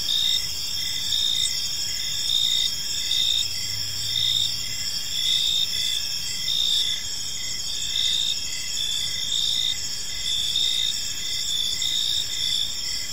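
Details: In a park at evening, crickets keep up a thick chorus of high trilling, swelling and fading in waves every second or so, with a faint low hum briefly audible.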